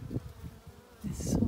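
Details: Close-up sound of a tight honeybee swarm on a farm in County Kilkenny, Ireland: a low, rough hum that dips quieter, then swells into a louder, denser drone in the final half second.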